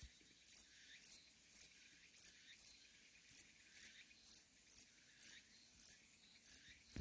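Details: A Metrioptera bonneti bush-cricket in Jeongseon, Gangwon, Korea, on 13 August 2021, sings short, dry, high-pitched buzzy chirps, repeated about twice a second.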